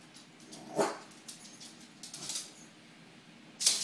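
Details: Frightened by balloons, Pixel the Pembroke Welsh Corgi lets out a single brief high yelp early on, followed by scattered rustling, crackling balloon noise and a sharp pop-like burst at the close.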